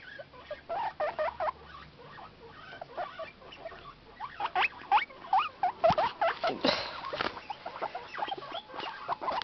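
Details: Several excited pet guinea pigs wheek together in the morning as their food bag is rustled. Quick upswept squeaks overlap repeatedly amid constant rustling and the clicking of a dog walking nearby.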